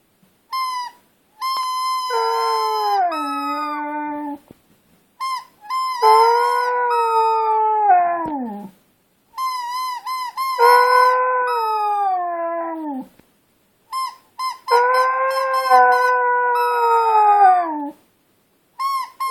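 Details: Alaska, a female Husky, sings with her ball: long drawn-out howls in four bouts, each starting steady and high, then sliding downward and wavering, separated by short silences.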